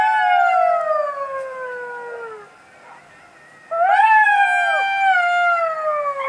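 A jackal howls in drawn-out, quavering notes that fall slowly in pitch. After a short quiet gap, a second, higher and louder howl begins and wavers before trailing down.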